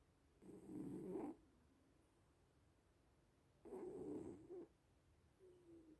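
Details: Snoring from sleeping little cats: two rough, low-pitched breaths near a second long, about three seconds apart, followed by a faint thin whistle-like tail in a quiet room.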